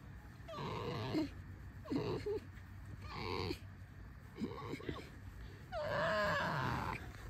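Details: Pet red fox out for a walk, giving a series of about five short squeaky, chattering bursts spaced roughly a second apart, each with a bent, wavering tone, over a low rumbling background with some human speech.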